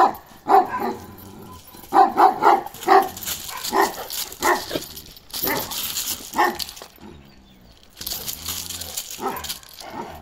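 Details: Barking from Balyoz, a karakırçıl Kangal male of 15 months: irregular deep barks, some in quick runs, mixed with bursts of broad hissing noise, possibly wind.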